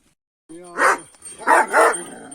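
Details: Kangal shepherd dogs on a farm barking for no reason their keepers can find; a low harmonic whine-like onset, then three loud, noisy barks about a third of a second apart, with a faint steady high tone behind.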